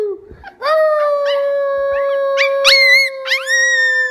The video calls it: Baby coyote howling